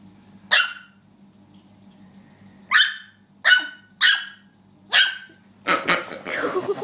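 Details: Worked-up dog barking at a pig it dislikes: five sharp, separate barks spaced about a second or more apart, then a burst of rustling and scuffling noise, a low steady hum underneath.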